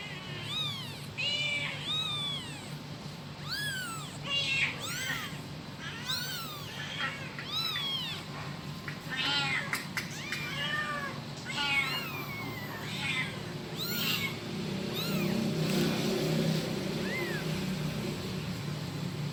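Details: A kitten calls for its mother with a rapid series of high, arched mewing cries, some short and chirpy, others drawn out, crowding the first half, then fading into a low rumbling background toward the end.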